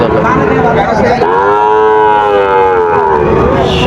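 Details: A Sahiwal bull calf among pairs offered at Raniganj cattle market, Dinajpur, 10 July 2025, gives a full, rounded moo of about two seconds that bends up then down, over busy background voices.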